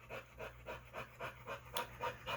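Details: A male pit bull, dog-sat by a trainer, pants steadily in the background. The breathy huffs are regular, roughly one every quarter second, with a faint room hum beneath.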